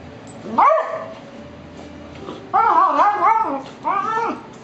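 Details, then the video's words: Two Beagles playing roughly, a younger male pestering an older dog, who gives warnings; wavering whining growls with strong harmonics, one short, then a longer undulating one and a final brief one. "Beagles Play Again"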